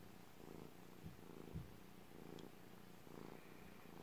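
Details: Domestic cat purring, a low steady rumble that swells in soft pulses about every second, alternating with quieter stretches, with a faint brief click partway through.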